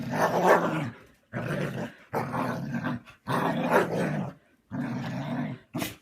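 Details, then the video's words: Husky grumbling loudly in five drawn-out, throaty moaning phrases with brief gaps, ending on a short sharp burst; no other sounds heard. "Хаски ворчит и чихает"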